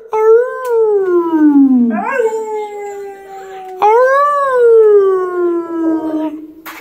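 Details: Pit bull named Marvin singing with his owner at the mic: two drawn-out howls that swell upward and then glide down in pitch, the first dropping steeply at its end, with a faint whimpering note between them.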